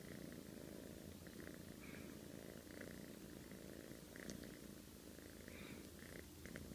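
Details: A domestic cat snoring in its sleep like a middle-aged man: a steady low rasping rumble with breathy bursts roughly once a second, close and quiet indoors.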